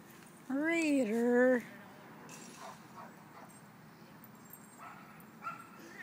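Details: Dog playing with other dogs at a dog park gives one drawn-out, tonal whining yelp lasting about a second, wavering, briefly dipping, then holding steady. A few soft, faint sounds follow against a low, steady outdoor background.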